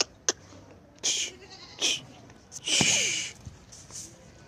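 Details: Bleating from Barbari goats on a farm with four females: several loud, harsh, rasping calls in quick succession, the longest lasting about half a second, with brief clicks and knocks between them.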